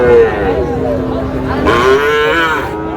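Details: Sahiwal bull calves for sale at a Tangail cattle market, Bangladesh, on 20 August: two long, fairly level moos, the second rising and brighter, against a murmuring crowd.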